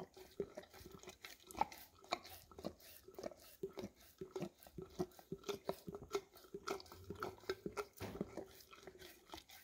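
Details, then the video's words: Golden Retriever of the English cream type working peanut butter out of a nearly empty jar inside, phone-recorded on a Samsung Galaxy S10e; steady moist licks and slurps, roughly two or three per second, over a soft room hum with faint background murmur. "Dog Licking Peanut Butter Out of Almost Empty Jar - Golden Retriever"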